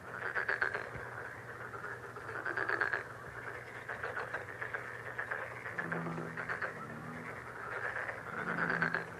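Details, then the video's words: Frog chorus offered as a lucky healing sound: a dense layer of fast, rattling, pulsed croaks in bursts of a few seconds, with short low hooting notes joining near the end. "행운 개구리소리 The sound of a lucky frog"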